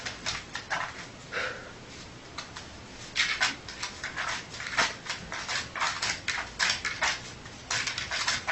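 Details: Sleeping dog snoring loudly: a run of short, breathy, snuffling rasps in quick irregular succession, with a few longer hissing breaths mid-way and toward the end, in a quiet indoor setting.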